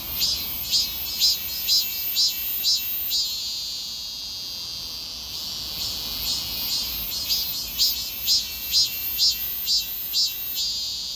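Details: Summer cicada calling: bright, high buzzing pulses repeated about twice a second, a steadier drone in the middle, then the rhythmic pulsing returns, with a continuous high hiss throughout.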